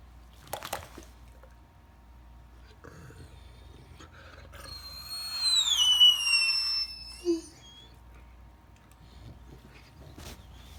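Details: Max, a Great Dane reluctant to get out of bed, gives a high squeaky whining yawn lasting about two seconds, with sliding whistle-like tones, then a short low grunt; a couple of knocks earlier, quiet room.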